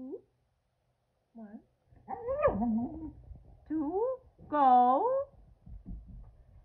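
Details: Boston Terrier and Keeshond, two pet dogs indoors, excited after hearing exciting news: high rising and falling whines and yelps in short bursts, with quiet human voices in between.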